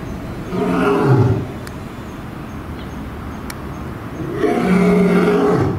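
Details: Male and female lions at Tennoji Zoo, Japan, the male roaring and the female answering: two deep, grunting roar bouts with a low droning pitch, the first swelling and fading near one second, the second starting around four seconds, separated by quieter background.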